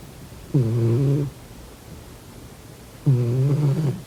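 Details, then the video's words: Sleeping domestic cat snoring indoors, two low, raspy, buzzing snores with rough harmonics, each lasting under a second and about two and a half seconds apart, with quiet room hush between breaths. "코 골면서 자는 고양이 콧구멍 막아보기😺 코고는 고양이 Snoring cat"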